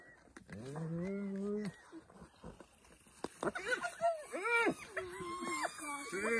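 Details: African spotted hyena opening with a long low whoop that slides upward, followed after a pause by a run of brief, arched higher yelps from more than one animal.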